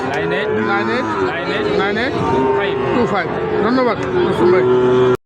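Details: Sahiwal bull calves traded at Ambari market, open Fridays and Mondays. A short burst of overlapping moos, the last one long and level, mixed with loud nearby voices and market bustle before an abrupt cut.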